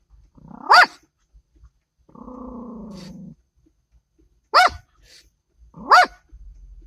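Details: A dog barks at a statue, giving three sharp, loud barks with a low rumbling growl between the first and second.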